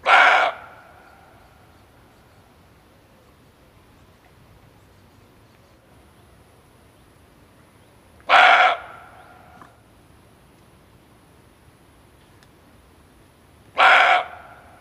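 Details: Male barking deer, played as a hunting lure: three short, harsh, noisy barks of about half a second each, spaced irregularly about five to eight seconds apart, over a quiet background.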